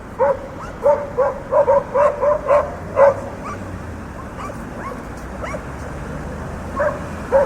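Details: Dogs barking in a city street amid urban traffic: a run of sharp, evenly spaced barks in the first three seconds, then scattered quieter yips, over a steady rumble of passing cars.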